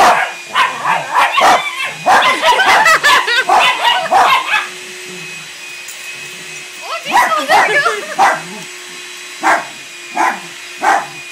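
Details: Playing dogs, a new puppy joining a household trio for weekend play, bark in a dense excited burst for about four seconds, then a few scattered barks follow with gaps, all over a constant mechanical hum.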